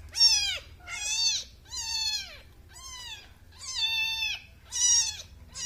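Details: Newborn kitten mewing insistently, six high arching cries roughly once a second, each sliding downward at the end, loud and clear over near silence.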